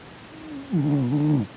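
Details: A sleeping male Korean shorthair cat named Sonny, twitching as if in a bad dream, lets out one drawn-out, low, moaning snore lasting under a second, steady and rich in overtones, over a soft indoor background.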